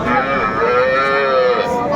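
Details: Cow at a livestock market in Aftabganj, Dinajpur, Bangladesh, where cows with calves are sold, on 1 September 2024: one long, loud, harmonic-rich moo held steady for about two seconds, with faint crowd noise beneath.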